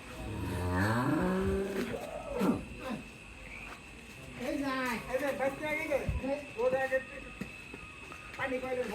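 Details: Dairy cow brought home from Pabna, Bangladesh, giving a long low moo with rising harmonics at the start, then a few shorter lowing calls, mixed with men talking nearby and a steady background hum.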